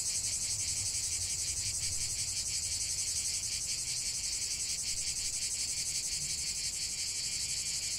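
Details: Massed cicadas singing outdoors, a piercing continuous buzz with rhythmic fine pulsation, constant in volume, and a little low rumble early on.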